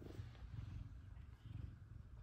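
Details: A soft, pulsing purr comes from F2 Savannah cats Kumba and Zara, welcoming their owner home from work. The deep rumble swells and fades in waves.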